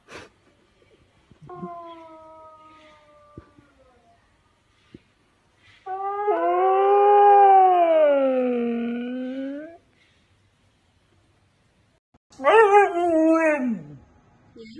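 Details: Siberian Husky complaining at being kept in, with three separate howls: a thin, level, fading tone, then a loud, swooping howl that rises and falls over four seconds, and finally a short, sharply descending wail.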